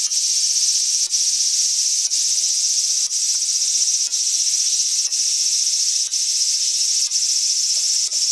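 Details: Japanese large brown cicada, Graptopsaltria nigrofuscata, giving an unbroken high, hissing drone with a short regular break about once per second.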